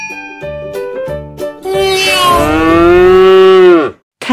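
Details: Domestic farm cow, named in Malay as lembu, giving one long drawn-out moo of about two seconds that holds steady then drops off sharply, following a bouncy children's tune with chiming notes.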